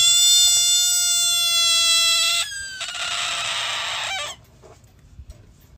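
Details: An American bullfrog (Lithobates catesbeianus) screams: a high, shrill cry like a whistling kettle, then a harsher, noisier cry.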